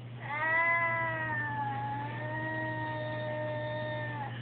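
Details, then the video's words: A male pet cat crying indoors by a window, upset at being kept inside: one long, mournful, drawn-out meow of about four seconds, steady and slightly falling, over a constant low electrical hum. "Crying Cat"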